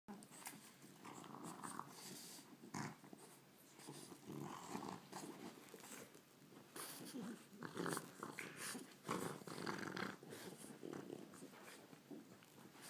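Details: Two pet dogs, Lily and Murphy, playfully taunting each other over a ball indoors; low rumbling growls come in bursts with scuffling, panting and rustling between them.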